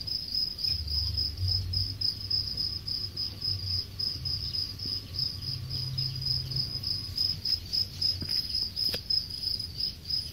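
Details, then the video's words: On a Thai cricket farm in Khon Kaen, crickets near harvest age keep up a bright, high, rhythmically pulsed chirping throughout, with a soft low hum and a brief click near the end. "จิ้งหรีดตัวสวยๆ ฟาร์มสะดิ้ง จิ้งหรีด ขอนแก่น"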